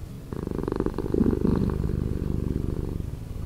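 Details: Cat purr played at slower speed, a thick vibrating hum of closely packed low beats that rises slightly in loudness through the first half, then stays smooth and steady.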